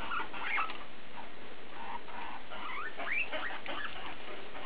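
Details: Guinea pig BooBoo talking: brief squeaks and short rising and falling whistled sweeps, a few clearer upward-curving notes near the end, steady soft background.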